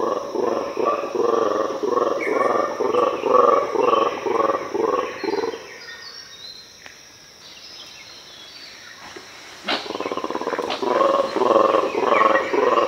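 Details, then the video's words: Black and white colobus (mantled guereza) roaring in an Ethiopian cloud forest. A long run of rhythmic, croaking roar pulses about twice a second fades into a lull, then the pulsed roaring resumes loudly. "The terrifying sounds of Colobus monkeys"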